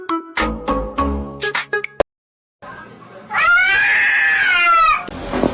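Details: Domestic cat from a funny-cats compilation giving one long, drawn-out meow that rises and then falls over nearly two seconds. It follows a run of short plucked musical notes and a brief silence.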